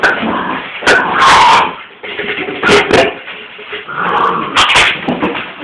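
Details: Transylvanian Hound puppies giving irregular whimpers and short yelping bursts, several loud broadband cries clustered near the start and middle, with quieter whining between them.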